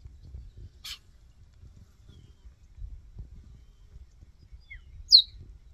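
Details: A cheetah cub, one of two in a game reserve left behind while their mother hunted, calls for its missing mother with one sharp, high, bird-like chirp near the end and a fainter brief chirp earlier, over low rumble.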